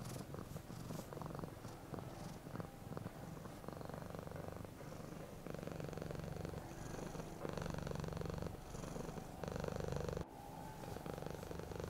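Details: Happy, relaxed cat purring smoothly: a deep, throbbing rumble in breath-length bursts that grow louder and clearer in the second half, separated by brief quiet gaps.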